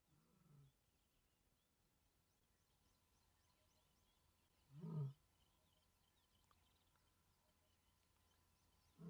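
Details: A lioness of about four years, calling from a termite mound in good condition, gives deep, low moaning contact calls about four seconds apart, perhaps after picking up other lions' scent, over quiet background with faint birdsong.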